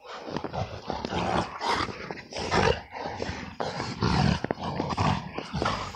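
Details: XL American Bully wrestling in the snow in winter, giving rough, noisy growls and huffing bursts in uneven pulses, loud and broadband, with scuffling between the louder sounds.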